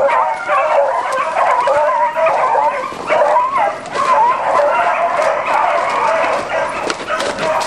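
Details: Continuous chorus from a beagle pack chasing roe deer, many hounds baying at once in wavering, yodelling cries that merge into a steady clamour, with faint clicks and rustling around them.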